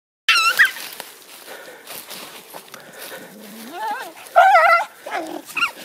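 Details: A female Sarplaninac farm guard dog, confronting a badger, gives excited, wavering yelps and whining barks in short bursts.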